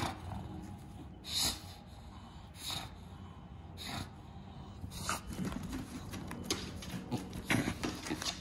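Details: Bulldog snorting in a small room: sharp, airy snorts spaced about a second apart early on, then softer, continuous snuffly breathing with occasional louder huffs toward the end.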